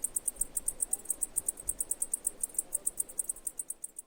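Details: Cicada. Cicadas give a steady, shrill song of sharp, high-pitched pulses, about six each second, with no pauses. A faint low rumble stays underneath throughout.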